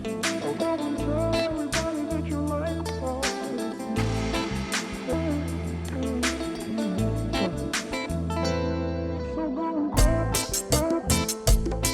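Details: Music plays throughout, with guitar, steady percussion and singing, and no animal sound can be picked out.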